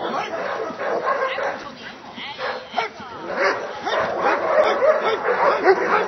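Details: A Dobermann at a Hungarian breeding test and Schutzhund training barks in sharp, repeated bursts while people talk over it.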